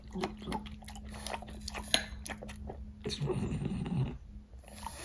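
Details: Indoors, French Bulldog chews fruit snacks: sharp bites and crunches in the first seconds, then a dense, smacking burst of wet chewing, with a faint steady hum underneath.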